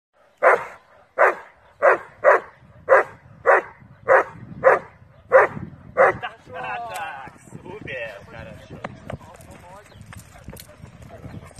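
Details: Doberman barking during IPO protection training with a helper, 26 June 2018: about ten loud, forceful barks in a steady series over six seconds, then quieter scuffling and rustling noise with no further barking.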